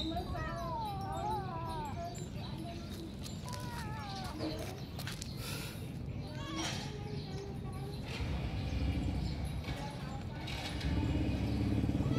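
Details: Cats squabbling over food, giving quick wavering meows at the start and a couple more near four seconds, with clattering, knocks and busy low-pitched background noise throughout.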